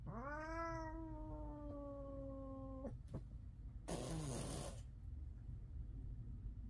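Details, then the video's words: Fighting house cat from a five-cat household giving a loud, steady harmonic yowl lasting nearly three seconds, followed by a sharp click and a burst of hissing noise. "A fight where a cat with a loud voice wins"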